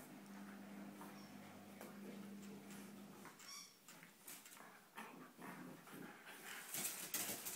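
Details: Two Border Collies, Wayne and Rose, playing with a yellow cube: a short, high, thin whine rises near the middle amid rustling, thumps and scuffling of play, with a low steady hum at the start.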